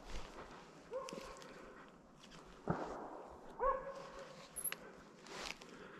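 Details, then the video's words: Arrow, a Slovakian hound, holds a wild boar at bay during a driven hunt with dogs in Sweden, November 2022. A few distant, harmonic barks are spaced seconds apart over rustling footsteps and brush noise. "Slovački kopov - držanje u mesto"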